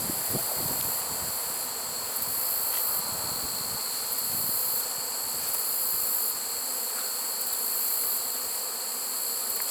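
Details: Honey bee swarm caught in a swarm trap at a wooded spot on 1 September 2019, late in the season: a dense, steady buzzing hum. Continuous high whining bands run above it, with a few soft knocks early on.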